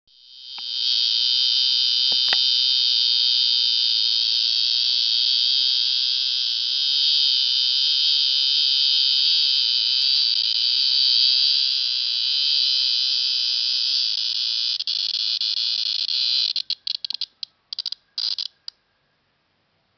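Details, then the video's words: Cicada calling at KU Dharwad, a steady, loud, high buzzing drone held for about sixteen seconds with a bright whine on top. It then breaks into short stuttering bursts and falls silent near the end. "Cicada insect"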